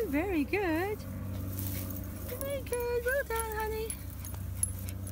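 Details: Female Jack Russell Terrier whimpering inside a car: two quick warbling whines, then a run of short high squeaky notes and a level whine, over a low engine drone and a woman's voice.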